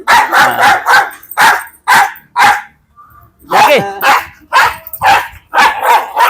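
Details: Domestic dog, called a serious biter by its handlers, barking repeatedly in sharp, rough bursts, about two per second, pausing once midway, then resuming. Men speak Malayalam in the background.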